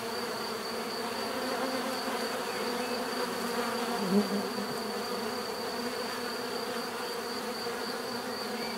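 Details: Bees droning in a thick, unbroken buzz, one closer insect swelling briefly just past the middle, a fine high steady tone in the background.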